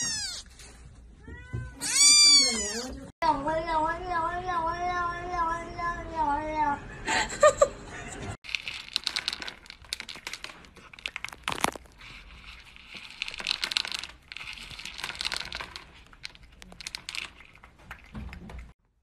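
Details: Pet cat meowing repeatedly over the first seconds, a string of short wavering calls and one long rising-falling cry, after which rustling, thumps and indistinct household noise take over.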